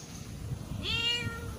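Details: One cat, saved from a canal, gives a single meow that rises then holds steady and fades, asking for something like food or attention, over a low background rumble.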